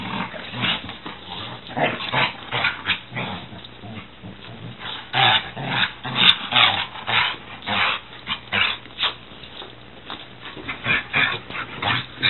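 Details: Young Weimaraner, six months old, and a six-year-old Catahoula romp wildly together, trading continuous throaty growls, snarls and occasional whimpers in quick bursts, with thumps of play throughout.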